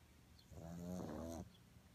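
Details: A pug in deep sleep snores once, a drawn-out, throaty, vibrating inhalation lasting nearly a second with a steady low rattle, then the room falls quiet again.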